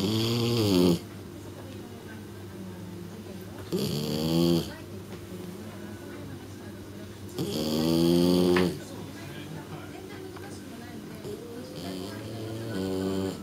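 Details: Shiratama, a three-month-old female kitten, asleep and snoring as heavily as an old man: about four raspy, harmonic snores, each lasting roughly a second, come about every four seconds over a low indoor hum.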